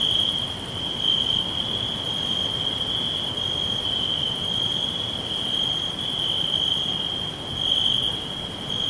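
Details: Steady high cricket trilling fills a green forest, pulsing slightly in strength across several seconds, joined by faint regularly repeated higher ticks and a low hissing backdrop.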